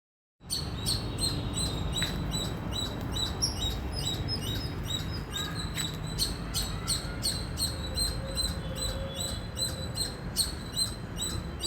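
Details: Indian squirrel chirping loudly: a fast, steady series of sharp, high chirps, about two or three a second, running through the whole stretch over a low rumbling background.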